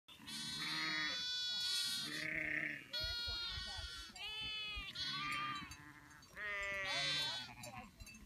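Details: Newborn spring lambs in a field on a farm, giving loud, wavering, quavering bleats, about five in quick succession, some overlapping as several lambs call at once.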